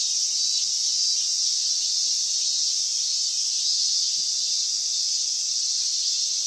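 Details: A wall of cicada sound at summer's end, recorded 19 August 2020: an even, intense, high-pitched electric whirring that never pauses, with faint low background rumble.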